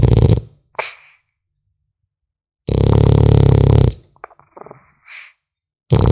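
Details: Snoring of a sleeping French Bulldog puppy: one loud, throaty rumbling breath in the middle, framed by shorter snorts and small soft squeaky nasal sounds in a quiet room.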